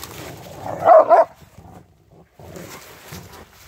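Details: Three Rottweilers playing with a stick on a wintry walk in light falling snow; one short, loud double bark bursts out near the one-second mark, followed by quieter rustling and low rumbling noise outdoors.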